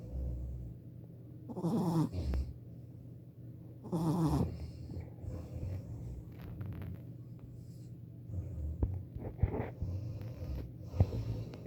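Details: Snoring from a four-month-old Shih Tzu puppy asleep, two rasping breaths about two seconds apart, then quieter breathing with small clicks and rustles against a low background hum.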